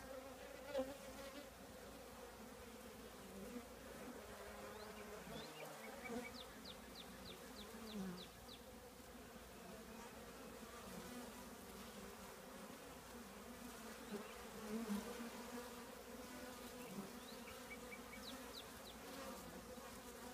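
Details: Honey bee colony in an old trash can giving a steady layered drone, occasional bees buzzing nearer, and a short series of high bird chirps twice in the background.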